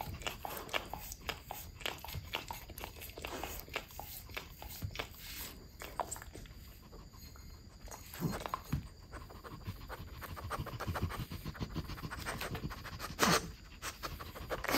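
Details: French Bulldogs, mother Ume aged five and daughter Roku aged four, indoors eating shark meat; irregular wet chewing clicks and crunches mixed with snuffly panting breaths, one sharper crunch near the end, under a steady faint high whine.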